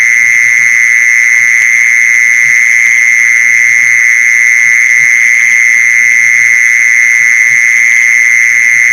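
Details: Mole cricket sound played to lure mole crickets: one unbroken, steady buzzing trill that holds at the same pitch and loudness throughout, with a faint low rumble beneath.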